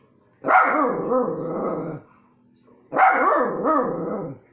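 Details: Dogs barking at orbs: two long, rough, harmonic barks each lasting about one and a half seconds, with a wavering, growly tone, separated by a brief quiet gap.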